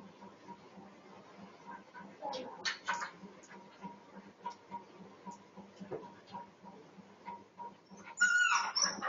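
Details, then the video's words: Dog reacting to a cat jumping over a wall: quiet, low background hum, then brief strained vocal bursts at about two and a half seconds, and a high, thin whining cry near the end. "My dog sees a cat jumping over the wall and reacts"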